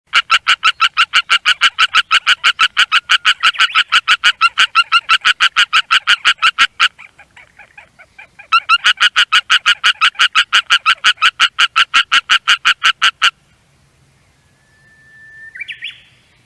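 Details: Green Japanese tree frog calling loudly from the shore of a rice field: a rapid, regular train of harsh, clicking pulses, about three per second, in two long bouts separated by a short pause, with a faint rising tone near the end.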